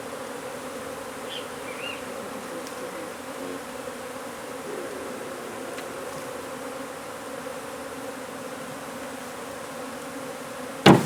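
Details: Honey bees disturbed during removal of their hive from under a wood pile in McAllen, Texas; a low, steady hum of many bees runs throughout, ending in a sharp loud knock.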